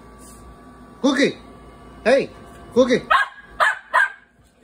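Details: Seven-month-old Great Bernese dog barking indoors: about six short, sharp, rising-falling barks in four seconds, first spaced a second apart, then quicker in pairs, with light background hum.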